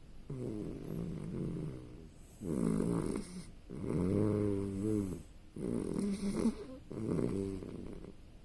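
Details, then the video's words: Sleeping puppy snoring indoors, a series of low, buzzy, tonal snores, each lasting about a second, recurring five times with short quiet breaths between them. "Snoring puppy"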